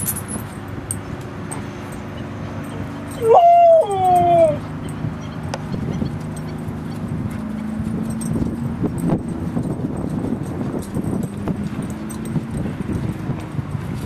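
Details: Dogs Rosy and Rocky at play in Seal Point Dog Park on the western side of San Francisco Bay, August 10, 2015; one brief rising-then-falling whimpering yelp near the start, then steady outdoor rumble and low background hum.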